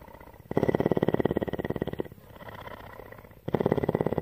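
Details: Female mountain lion Tawney at CARE, Bridgeport, Texas, purring: a long, loud, fast-pulsing rumble of about a second and a half, a quieter stretch, then a second strong burst.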